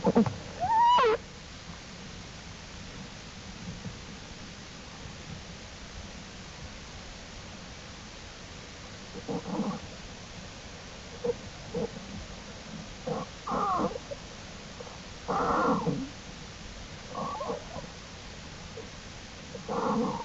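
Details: American black bear cubs roaming outside the den with their mother Jewel on April 2, 2012. A sharp rising-falling squeal opens, then scattered short muffled bursts and grunts with rustling over a quiet background.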